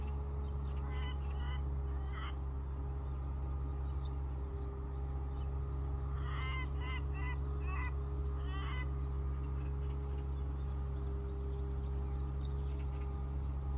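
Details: A hiding black-spotted pond frog (Pelophylax nigromaculatus) among water plants gives short bursts of quick, nasal croaks over a steady low hum.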